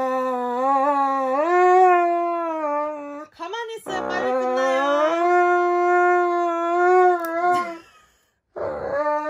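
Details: Indoor Dobermann protests loudly while its nails are clipped, giving a sustained, high, mournful howl that swells and holds nearly level for several seconds, broken by a short scuffling noise, ending in silence before another howl begins.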